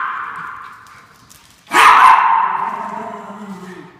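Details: Norfolk Terriers barking while chasing a fox: a quiet, steady tone first, then one sudden loud, harsh bark that rings on and fades slowly over about two seconds.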